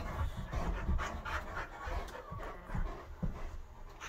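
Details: Indoor rough play among a Great Dane, a wolf-hybrid and an Aussie mix, one of them the visitor Bo: soft, low, rhythmic panting puffs repeat about twice a second in a quiet living room.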